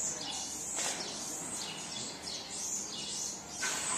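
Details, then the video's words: Baby marmoset crying for its mother: thin, high-pitched whistled calls that sweep downward, repeated in quick succession, with two sharp clicks breaking in over a faint background hiss. "Baby marmoset cries for mum!"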